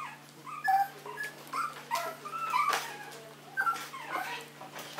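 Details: Maltese dog, called an affectionate little prince, making quieter, lower whimpers and short nasal whines in uneven bursts, some with brief upward slides, against a soft continuous hum.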